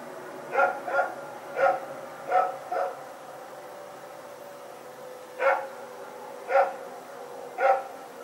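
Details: Two dogs, Rex and his companion, running about in the night on Sep 21, 2018: a burst of five quick barks, a pause of about two seconds, then three more barks spaced roughly a second apart.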